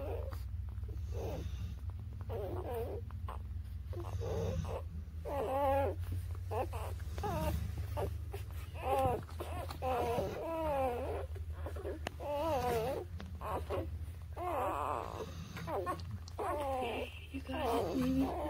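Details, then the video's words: Newborn puppies, between birth and three weeks old, squeal and whine almost nonstop in wavering, rising and falling cries, several voices overlapping, over a steady low hum. "Cutest Newborn Baby Puppies: Birth To 3 Weeks"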